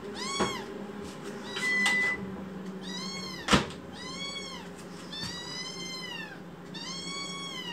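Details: Protesting kitten, a rescued foster baby cat showing anger, lets out a run of about seven harmonic meows, some longer and wavering, broken by a sharp click and light handling noises indoors.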